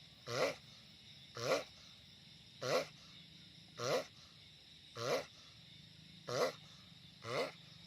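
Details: Seven evenly spaced, raspy harmonic grunts from a giant sulcata tortoise, one roughly every 1.2 seconds, loud over a low steady background.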